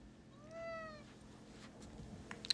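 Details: Short, soft meow from a pet cat, rising briefly then sliding down, followed by faint clicks and small room noises.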